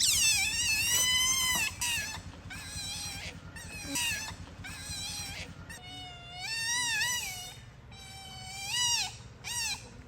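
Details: Otters playing together in daylight give loud, high, wavering squeals and whistles with strong harmonics. The calls come in bursts roughly every second, some bending up and down, over low background rumble.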